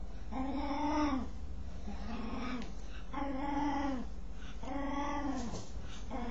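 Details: While scratching itself, a dog produces long, bowed moaning notes with strong harmonics, four drawn-out groans plus a brief start of a fifth, separated by short pauses, against low-pitched background hum.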